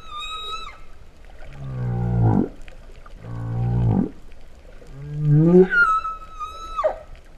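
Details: Underwater humpback whale song from Vava'u, Kingdom of Tonga, September 2015, compared to a cow's moo. A thin high whistle opens, two deep buzzing groans rise in turn, then a swelling moan sweeps up into a high flat whistle.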